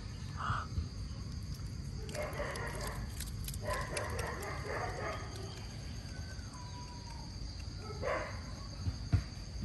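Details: Otters at mealtime as mullets return to their feeding: short harsh squeaky bursts and chattering calls in clusters near the start, middle and end, with one thin falling whistle, over a constant low rumbling background noise.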